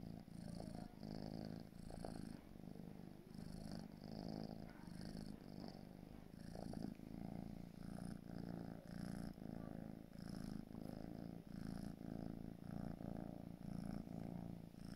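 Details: Marshmallow, a four-month-old grey British Shorthair kitten, purring steadily indoors: a low rumbling throb pulsing in even waves about twice a second, continuous through the whole stretch with faint higher hiss on each breath.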